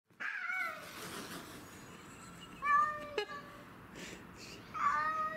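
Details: Domestic shorthair cats, Tom (black and white), Mimi (white and ginger) and a grey-and-white neighbourhood stray, fighting over territory outdoors; short harsh yowls at the start, a sharp cry near three seconds, another rising wail at the end, with background noise.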